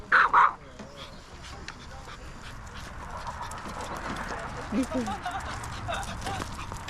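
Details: Mini Maltese, three-year-old female, at a dog campsite at Gamaksan in Yangju, South Korea, facing a large dog; two sharp, high yaps right at the start, then steady outdoor background noise and a woman's startled voice.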